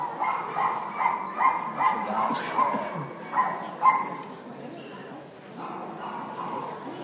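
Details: Havanese dog in New York giving a quick run of short, sharp, ringing barks, about ten within four seconds, followed by softer, drawn-out whining sounds, with human voices mixed in.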